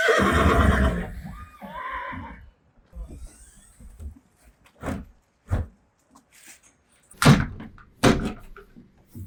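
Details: Friesian mare described as in pain on a trip to the horse clinic; a strong, quavering whinny opens, then scattered thuds, footsteps and brief noises in a quiet space.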